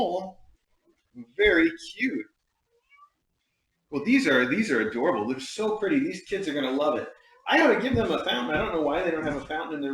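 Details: A domestic cat gives a short meow indoors in a small room, a brief rising-and-falling harmonic call early on, followed by long stretches of human talking.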